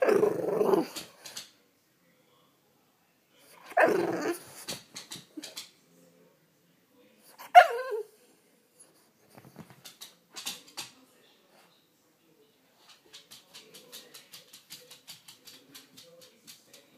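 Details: French Bulldog; barks and grumbles; waking its owner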